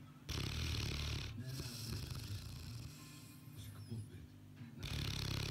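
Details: A sleeping Boerboel snoring: long rough, rasping breaths with a low rumbling texture. One lasts about a second, the next runs several seconds, and a third begins near the end, with brief quieter gaps between.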